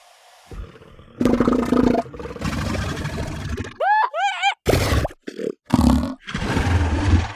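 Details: Southern elephant seals, sub-Antarctic, recorded at close range: rough, throbbing bellows with a rising, wavering tonal cry in the middle, broken by short harsh grunts and bursts.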